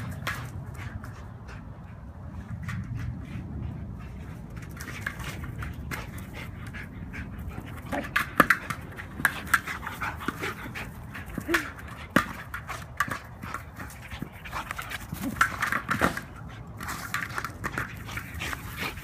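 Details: Rescued Belgian Malinois male, high-energy, playing with a ball indoors: steady rapid panting and breathy grunts throughout, with scattered sharp clicks and thumps and a person speaking briefly.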